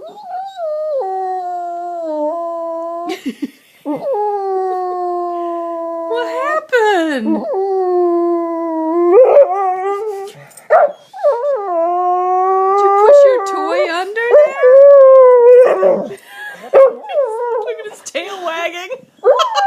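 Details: Sully, a house dog, howls in protest after pushing his bone under the sofa: long, steady, mournful howls that bend up and down and last several seconds each, while a woman keeps asking what happened.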